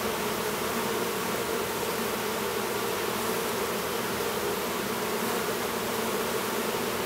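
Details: Honey bees humming at an apiary near Duluth, Minnesota, where a new drone is emerging from his cell; an unbroken, even, low droning buzz with no other clear sounds.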